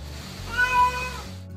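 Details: Domestic cat giving a short, smooth, human-like meow that swells and fades in under a second, heard over soft background music.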